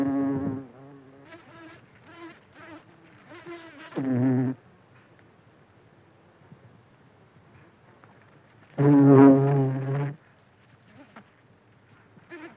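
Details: Close-up of a buff-tailed bumblebee (Bombus terrestris) feeding from flowers. Its low, droning buzz comes in three bursts: a brief one at the start, a short one around four seconds, and the longest, over a second, near nine seconds. A faint hum continues between them.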